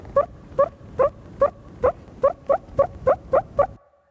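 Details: Meerkat terrestrial alarm call given to a predator quite far away: a series of about ten short, harsh barking notes, each with a rising tonal element, repeated roughly every 0.4 seconds and fading out at the end.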